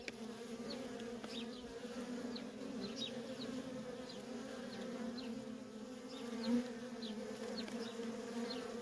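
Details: Worker honey bees in nonstop traffic at a feral colony: a steady, dense, low hum with a strong base tone and a fainter overtone, holding even throughout, with faint short high chirps scattered above.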